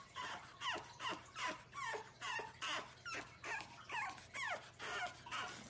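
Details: French Bulldog puppy giving a rapid series of high, yelping yips and whimpers, roughly two to three per second, each with a short bent pitch, over a low steady hum.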